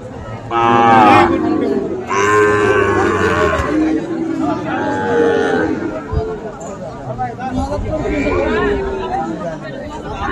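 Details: Sahiwal bull calves at the Amabari cattle market on 1 December, bought by a farmer from Chattogram; several loud, drawn-out harmonic moos of one to two seconds each rise over steady crowd chatter and voices.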